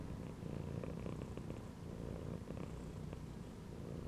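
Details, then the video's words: Cat resting curled in a gym belt, purring in a close, rough, low rumble that holds steady through a few seconds with slight swells. "CAT CHILLING PURRING AND MEOWING INSIDE THE GYM BELT"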